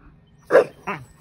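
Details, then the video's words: Siberian Husky talking to a neighbouring horse: two short, breathy yowls, the first louder and broader, the second briefer with a falling tail, in otherwise quiet surroundings. "Husky talking to horse"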